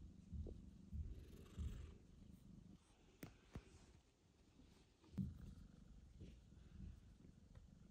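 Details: Mosya, a mother cat back from the veterinary clinic after a difficult birth and surgery, meets her newborn kitten Michael. A deep, pulsing purr throbs in uneven bursts, with a few sharp taps and handling noises.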